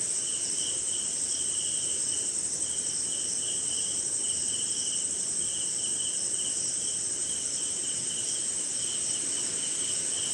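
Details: Crickets and other insects at night during rain in India keep up a continuous high, ringing trill, joined by a lower chirping band that swells in regular bursts, with soft rain noise throughout.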